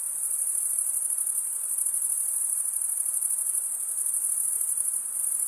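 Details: Continuous cricket stridulation, a thin high-pitched ringing trill holding the same pitch and loudness throughout with a faint pulsing texture; no other sounds.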